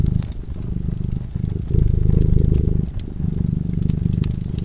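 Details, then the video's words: Sleeping by a cozy fireside, a cat gives a deep, buzzing purr in rolling surges, one long swell in the middle, accompanied by light crackling and snapping from the burning fire. "Purring cat"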